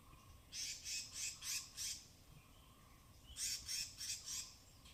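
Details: Native forest squirrels foraging along rain-soaked branches in dense Tamhini evergreen forest, Western Ghats, recorded binaurally near the canopy: two bouts of five rapid, harsh, high-pitched chattering notes, about three per second, over a faint steady hum.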